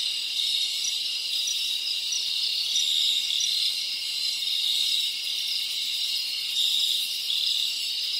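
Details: A continuous shrill trilling chorus of crickets recorded in the Dominican Republic, many insects ringing together at a high pitch with gentle rises and falls in loudness.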